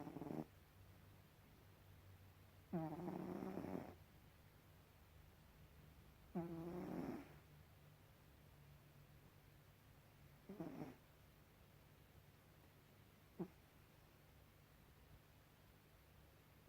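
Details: Gribouille, a pet cat, snoring indoors: raspy, rumbling snores in bursts about three to four seconds apart, the longest lasting around a second, fading to short, softer snorts toward the end over a low steady hum.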